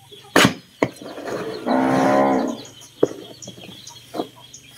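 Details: Cattle being fed mixed concentrate feed in the evening; one loud, harmonic moo lasting under a second amid sharp clattering knocks, with a persistent background hum.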